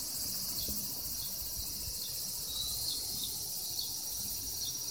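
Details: A Walker's cicada (tsukutsuku-boshi) on a second-floor window screen in summer sings a shrill, high buzzing song with faint regular pulses running through it.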